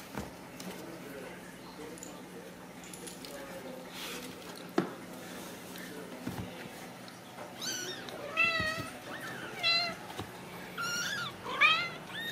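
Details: Ragdoll kittens, born and raised in a home cattery in central Kansas without cages, give several high, wavering meows that overlap in quick succession through the second half, with soft clicks and a person speaking quietly.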